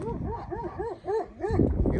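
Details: Kangal dog kept tied as protection against wolves, barking from higher ground: a run of short, arched, yelping barks about four per second, then a brief gap and rustling noise.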